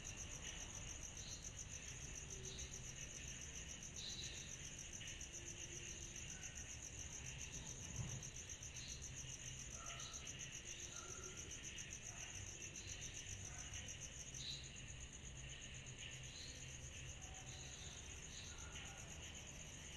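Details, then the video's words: Cicadas fill a summer night with a constant high, pulsing shrill. Many short chirps and brief whistled notes from other callers are scattered through it, with a low background rumble and one soft thump midway. "Summer Night Cicadas Sound Effect"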